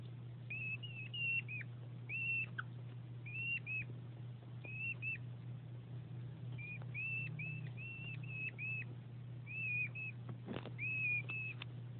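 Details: Male hedgehog Winston courting the female Delilah, placed together for breeding, giving plaintive squeaks before mating: thin, high whistled squeaks in short bursts, often two or three linked notes, repeated irregularly over a steady low electrical hum.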